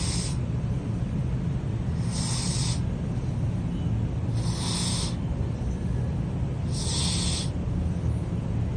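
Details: Sleeping cat named Pizza snores; four soft airy exhalations, evenly spaced roughly every 2.4 seconds, rise above a constant deep droning background.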